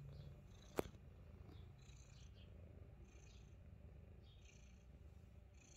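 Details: Himalayan Persian cat purring softly: a steady, low rumbling purr runs without a break. Faint breathy hisses recur about every second, and one sharp click sounds near the start.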